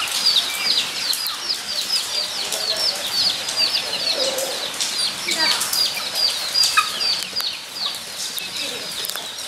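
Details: Guinea pigs calling at Nogeyama Zoo, 23 September 2012: a busy stream of shrill, falling whistles from several animals, with faint human voices and clattering sounds mixed in.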